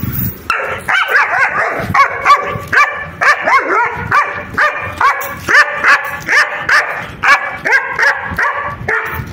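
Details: German Shepherd dog giving runs of high, whiny, strongly harmonic barks, about two per second, some sliding upward, with brief silent gaps between bursts and no other clear sounds.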